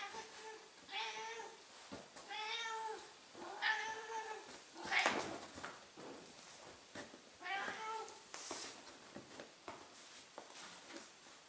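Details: Millie, a 15-year-old female Ragdoll cat, howls indoors to ask for wrestling: four drawn-out, harmonic meows, rising then falling, spaced over eleven seconds, with rustling and thumps of handling between them.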